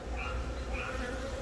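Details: Short stretch of honey bee colony sound while a young queen from a natural swarm lays eggs in the comb, Yongin Baegam, Korea, 20 April; dense low buzzing drone with faint higher whirring tones above it.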